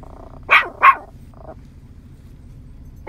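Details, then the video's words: Nine-month-old Yorkshire Terrier in a field with scattered cows, barking to call them in: two sharp, high barks in quick succession, a fraction of a second apart, then quiet with a faint low background hum. "Adorable Yorkie preaching to and calling in the cows !"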